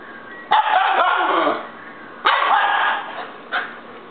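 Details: Baby Siberian husky having a fit: sudden, loud whining howls that waver in pitch and hold for about a second, followed by a shorter clipped yelp near the end, with brief quiet gaps between outbursts.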